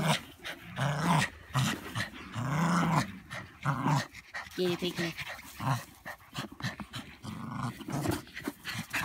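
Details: Playful Border Terrier growling in low, throaty bursts of one to two seconds, mixed with human talking and laughter, in what sounds like a small room.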